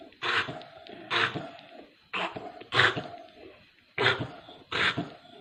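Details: A pit bull sick with parvo makes short, harsh, breathy bursts, like coughs or gasping whimpers, about once a second. The bursts come in pairs and are separated by quiet pauses in a small indoor room.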